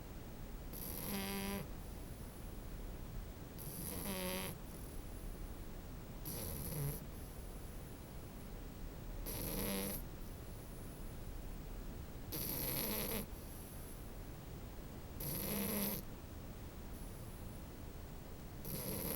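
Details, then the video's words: Snoring French Bulldog puppy: seven rasping, hissy snores at roughly three-second intervals, several carrying a thin wheezy whistle underneath the breathy rattle. "snoring french bulldog puppy"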